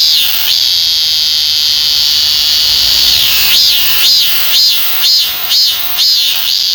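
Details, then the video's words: Korean cicada (참매미), among the most common cicadas in Korea: a steady high buzzing drone for about three seconds, then breaking into a run of arched, pulsing notes, roughly two per second, loud and shrill. "참매미의 울음소리"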